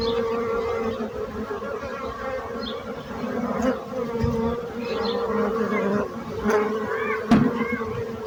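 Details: Bees buzzing: a steady, low droning hum with layered overtones, swelling briefly as individuals pass close, with a few faint high chirps in the background.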